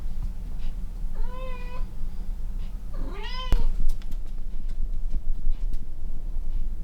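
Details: Cat lying beneath a running air conditioner in cold weather, uttering two clear meows, the first rising then falling, the second sharper and bending downward, separated by about two seconds, with soft rustling and clicks afterward.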